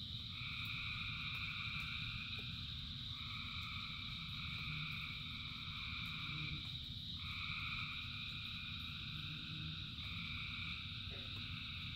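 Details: Many frogs calling through falling rain, their layered trills forming steady high bands that break off and restart every few seconds, with a broad wash of rain noise and low rumble.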